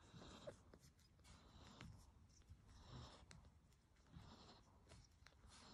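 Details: Soft, wet clicks and snuffling breaths from a three-day-old Yorkshire Terrier puppy suckling milk.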